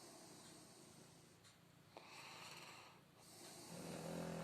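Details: Shar Pei named Filya asleep during his nap time, snoring quietly in soft, steady rasping breaths repeated several times a second, with a faint steady household hum underneath.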